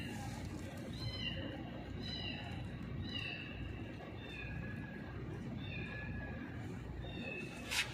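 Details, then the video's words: Hungry cat with a broken leg calling loudly as it is fed; a series of short, high, wavering meows repeated about once a second, under a woman speaking Filipino and some rustling. "hungry cat loudly meowing"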